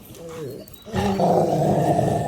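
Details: During a Rottweiler fight, an angry dog named Marley, a person's excited shouting gives way to a loud, harsh, sustained growl that stays rough and unbroken to the end.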